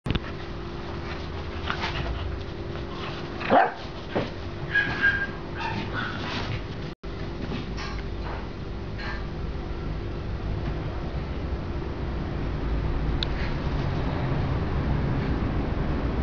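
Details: A Golden Retriever puppy, whose father is a JKC champion, lets out a brief cluster of short, sharp barks and soft whines early on, then only a steady low hum and faint room noise remain.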